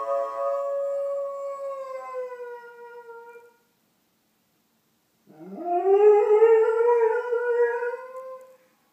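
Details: Pet Doberman singing along to fire engine sirens in the distance at 8:30am, filmed indoors with an iPhone; a sustained howl slowly falling in pitch, two seconds of silence, then a louder rising, wavering howl lasting about three seconds.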